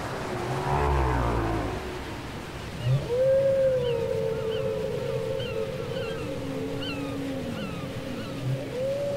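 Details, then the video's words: Whale song taped on cassette, dominated by a long steady tonal moan held for several seconds, a lower falling wail beneath, and faint high chirps repeating above, with a brief low thump. "Les chants secrets des baleines"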